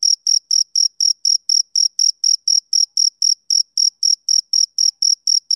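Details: Male cricket chirping on a summer evening: a steady train of short, high, pure chirps, roughly four each second, evenly spaced, with no other sounds in the background.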